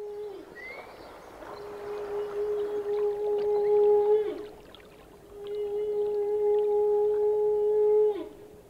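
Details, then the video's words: Whales heard in a slow series of long, even, low tones with a higher faint overtone, each tone dropping away at its end, a quick upward chirp near the start and gentle ambient water noise throughout. "The song of the whales!!!"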